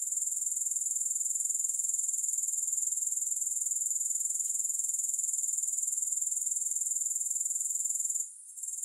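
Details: High, fizzing insect trill from grasshoppers, finely pulsed and very regular, continuing evenly for about eight seconds before a short break at the end; no music present.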